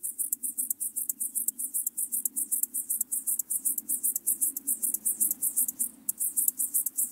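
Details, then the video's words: Locomotive grasshopper, Chorthippus apricarius, from Moosham, Austria, 9 October 2020, producing a continuous run of dense, hissing high pulses in quick succession, slightly uneven, over a low steady hum. "Chorthippus apricarius -- Feld-Grashüpfer -- Locomotive Grasshopper"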